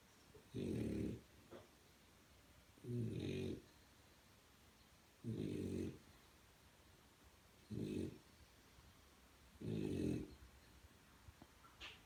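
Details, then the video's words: A French Bulldog puppy snores in loud, rumbling bursts, each lasting about half a second, repeated every two seconds. "Funny snoring french bulldog"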